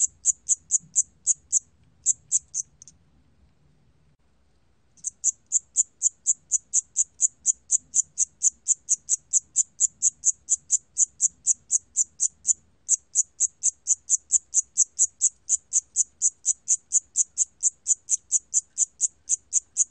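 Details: A Siamese cricket repeats short, high, trilled chirps in a steady rhythm, several per second.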